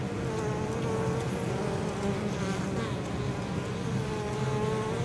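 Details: Honey bees returning laden with pollen and nectar to their hive on 23 October, in unusually mild temperatures near fields; a full, steady buzzing with a clear rising and falling whine above the low hum.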